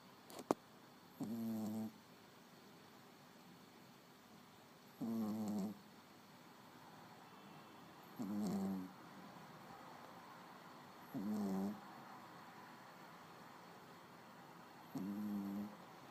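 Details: A small pet dog snoring indoors: five slow, rasping, throaty snores with a buzzing tone, spaced roughly three to four seconds apart, with quiet room hiss between breaths and a faint click near the start.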